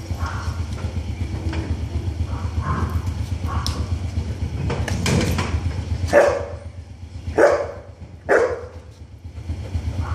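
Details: Golden Retriever named Lucky during a training session, giving three loud, sharp barks spaced about a second apart near the end, over a steady low rumble and faint background noise.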